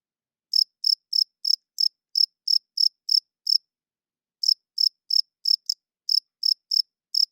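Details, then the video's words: At night a male cricket chirps by rubbing its wings, calling females and defending territory: two runs of bright, high, pulsed chirps, roughly three per second, separated by a pause of about a second, in silence. "40 Minutes of Cricket Chirping Sounds - Cricket klinkt 's nachts luid"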